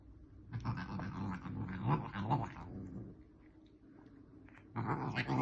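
A Bengal cat gives a long, rough, growling yowl, falls quiet, then starts again.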